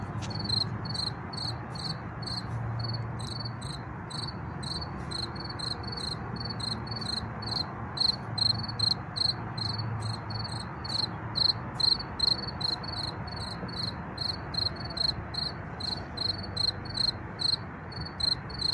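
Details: Field cricket heard by ear and not seen, chirping among wildflowers: steady rapid trains of high pulsed chirps, about two or three per second, over a low rumble of distant car traffic and wind.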